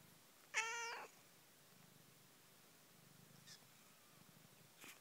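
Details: Domestic cat, a mother with her playing kittens, gives one clear harmonic meow lasting about half a second, followed by soft purring and faint brief sounds in a quiet room.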